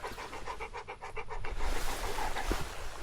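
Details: Excited panting from Charlie the dog as his paragliding owner arrives with a treat: rapid rhythmic breaths for a second and a half, then fading under rushing wind noise and a soft human voice.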